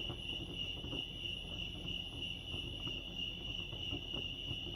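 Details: Crickets at Lake Arrowhead, California, ring out in an even, sustained high trill over a quiet, rumbling backdrop.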